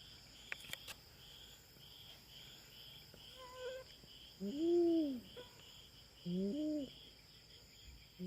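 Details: A feral cat raiding the territory of farm cats in the Philippines, squaring off with a black cat. Two short arched moaning cries come about two seconds apart over a steady outdoor hum of insects.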